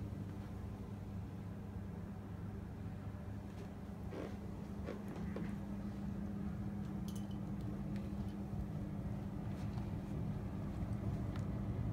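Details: Steady low engine-like hum fills an indoor room, with scattered faint clicks and a trace of speech.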